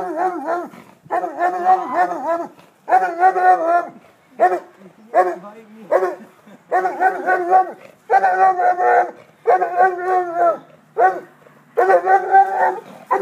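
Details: A Basset Hound baying steadily: a dozen or so long, mournful, warbling bursts of deep, resonant voice, each lasting around a second, repeated with short gaps over the whole stretch.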